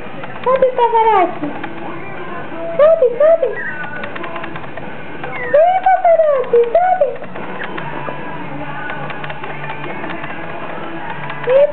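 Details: Yorkshire Terrier puppy, 60 days old, trying to get onto a couch, gives high, wavering whines and yelps in rising-and-falling bursts, with a steady room hum and faint background noise throughout.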